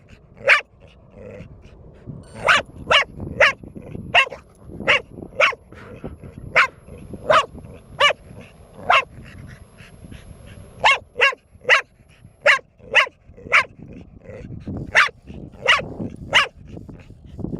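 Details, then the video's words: Bear, a four-year-old female dog, barks relentlessly while her owner taunts her with an object; about two dozen sharp barks over seventeen seconds, mostly evenly spaced, occasionally in quick doubles. "4 year old dog, voted most annoying 3 years running."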